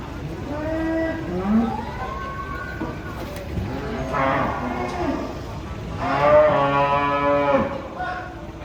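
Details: Cows coming down off a truck with several overlapping moos, some rising and falling, the strongest and longest near six to seven and a half seconds, with brief human voices and other background noise.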